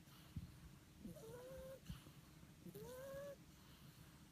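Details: Snoring French Bulldog puppy, giving two drawn-out whistling tones that slide upward then hold steady, spaced roughly a second and a half apart, with a low rough breathing rumble and small clicks beneath.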